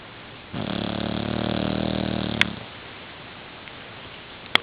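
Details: Boxer puppy, 9 months old, asleep indoors on a pillow and drooling, gives one long rasping snore of about two seconds with steady low buzzy harmonics, followed by quiet room noise and two faint sharp clicks.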